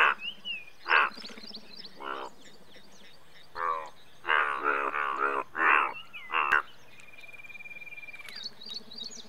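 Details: Indian bullfrog, India's largest frog species, giving a run of loud, harsh, pulsed croaks in uneven bursts over about nine seconds, some doubled. A background chorus of small chirping callers and a thin whistled tone accompany it.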